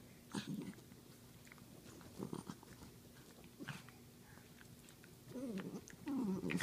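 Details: Wiener dog in couch wrestling, giving short, low, rumbling growls in bursts: one early, one midway, then a longer rough growl that rises and falls near the end, amid soft scuffling and chewing noises.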